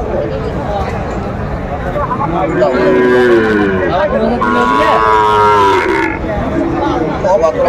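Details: Sahiwal cattle at a cattle market in Faridpur, Bangladesh, giving drawn-out harmonic moos, one rising then falling, over a constant hubbub of crowd chatter and talking voices.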